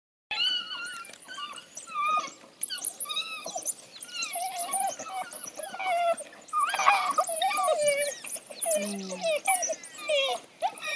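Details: African wild dogs fighting over a kill in Laikipia County, Kenya, twitter and squeal together in high, bird-like chirps and whines.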